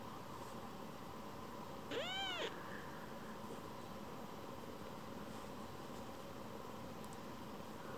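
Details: Rescued baby kitten, craving strokes after briefly leaving; a single short arched meow early on, then long stretches of low steady hum with no further calls.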